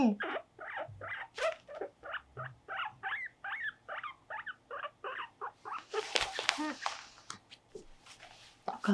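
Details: Pet guinea pig Mopuko squeaks steadily through brushing and nail clipping: a long run of rapid, rhythmic chirping squeaks, briefly covered by loud rustling and handling noise midway before the calls resume.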